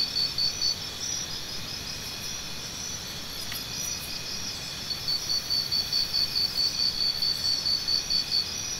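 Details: High insect drone from crickets. A close cricket chirps briskly at the start, then pauses. It resumes in the second half with a long, steady series of bright pulses, about two or three per second, over the background hum.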